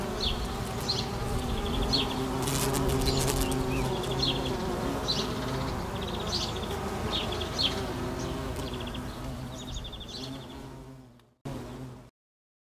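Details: Steady deep hum of a carpenter bee in flight, holding for about eleven seconds before cutting off abruptly, with repeated high bird chirps throughout.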